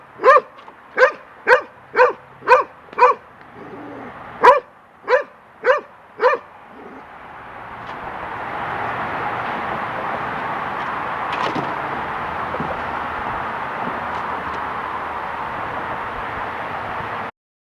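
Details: Young golden retriever Lacy, scared of a feather blowing on the deck, gives a fast series of about ten sharp barks, then falls quiet as steady wind noise takes over.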